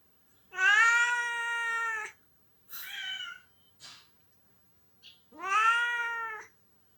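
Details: Pet cat crying indoors, perhaps missing his owner who is away on vacation: a long, drawn-out, harmonic meow, a shorter wavering one, then another long plaintive meow, with brief soft sounds between.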